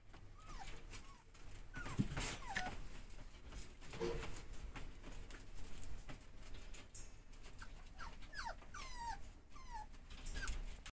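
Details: Tiny-sized Toy Poodle puppy giving thin, high, falling whimpers, single or in quick pairs, scattered through the recording. Rustling and handling noise, with low rumble, sit underneath.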